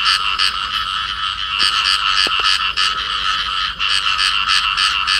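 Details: Field frogs paired in amplexus croaking: quick rasping pulses with bright harmonic bands, continuous rhythm, a couple of short clicks partway through.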